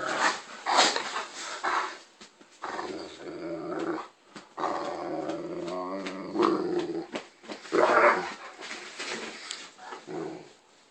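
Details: Great Dane named Turner throwing a tantrum indoors because the bone he already had wasn't good enough; a run of grumbling growls, groans and whiny vocalizations in bursts across the clip, with a person's voice answering in a small room.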